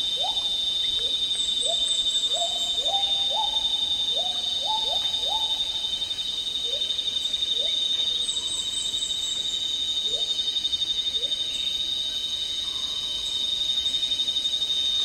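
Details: Agile gibbon, also called black-handed gibbon, calling in tropical rainforest in Malaysia; a series of rising, swooping whoop notes that crowd together in the middle and then space out. A loud steady insect drone and high thin whistles run underneath.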